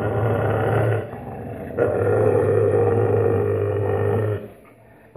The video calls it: Ringhio cuccioli di alaskan malamute